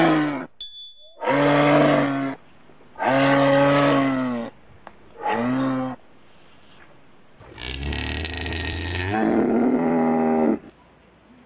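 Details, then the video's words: Moose giving a series of long, nasal moaning calls with rich harmonics, three evenly spaced then a shorter one, followed by a rougher, broader bellowing stretch. "Moose sound"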